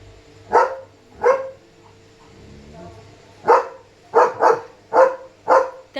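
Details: German Shepherd Leo on night-time barking duty, alerting that a dog is outside; two barks, a pause with quiet murmuring, then a quicker burst of five barks including a fast double.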